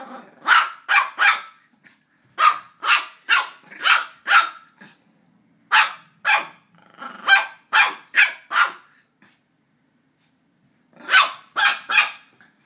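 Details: Border Terrier puppy barking at a squeaky toy it is attacking indoors: sharp, high yappy barks in quick clusters of three to five, separated by short pauses.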